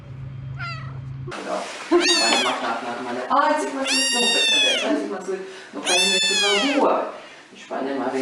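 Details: Domestic cat calling insistently indoors: a faint meow at the start, then three loud, long, wavering meows that arch up and down, with quieter murmured calls between them.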